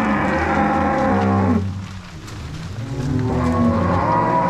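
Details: Herd of crossbred Angus-Nelore cows being moved from corral to pasture at Fazenda São Matheus, Paraná, 16 March 2022: a loud sustained moo over rough background noise, a short lull, then more overlapping lows.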